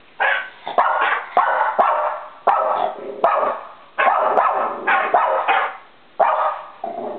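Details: Four-year-old female eski-poo dog barking as she reacts to sound effects played from a computer at home, June 16, 2011; a run of sharp, loud barks, about a dozen in seven seconds, with short gaps between.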